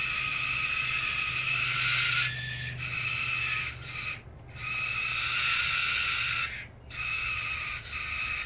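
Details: Two brushtail possum joeys trade drawn-out, grating, hiss-like screams at each other, in long continuous bouts with a few short breaks.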